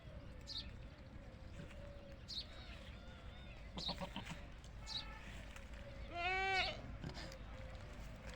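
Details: Desi goats on a goat farm, a single loud harmonic bleat with a wavering tone lasting about half a second, amid faint background bleats, bird chirps and rural outdoor noise.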